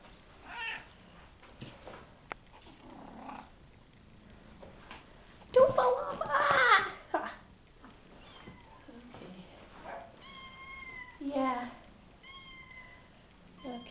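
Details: Five-week-old Savannah kittens from a litter of three males and two females mewing indoors. A loud squealing burst comes midway, then a run of clear, tonal, down-slurred meows near the end, with a person talking nearby.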